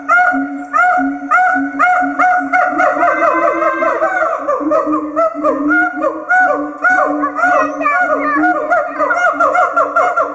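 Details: Siamang gibbons singing, a song performed by mated partners as a duet that strengthens the pair bond; steady booming low notes pulse under rapid series of loud rising and falling hoots and whoops, growing more excited mid-phrase.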